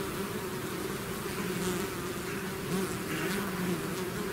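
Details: A hive's swarm emerging, its buzzing a steady, full hum with two clear low tones and faint higher hiss, unbroken for the whole stretch.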